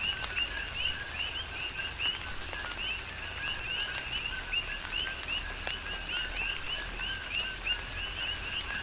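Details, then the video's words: Tropical rain on Hawaii's Big Island with coqui frogs giving a rhythmic chorus of short, up-slurred two-note chirps, spaced a fraction of a second apart, above the even patter of falling rain. "Tropical Rain & Coqui"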